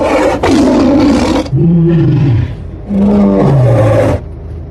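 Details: Bengal tiger giving deep, harsh roars: a broad rasping burst, then low moaning growls that slide downward, then another long roaring growl falling in pitch near the end.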